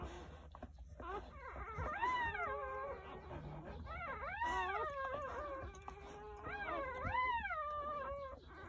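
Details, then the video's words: Jindo dogs at a rural country home on New Year's Day, during a birth of nine puppies lasting from 8:30 in the morning to 1 pm. Wavering, mid-pitched whining cries rise and fall in long drawn-out waves, with faint room noise. "새해첫날 시골집 진돗개 9마리 출산했어요 새해 첫 우렁찬 울음소리와 함께 새생명이 탄생"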